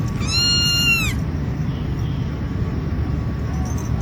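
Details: Cat giving a single clear, arching meow lasting about a second, rising then falling, followed by a low background rumble with no further calls.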